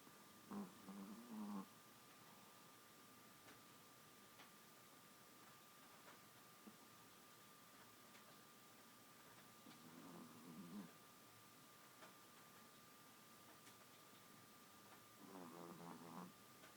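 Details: Female Chihuahua asleep, snoring: three buzzy, rattling bursts with harmonics, each about a second long and roughly seven seconds apart, over a quiet indoor hum and a faint steady tone.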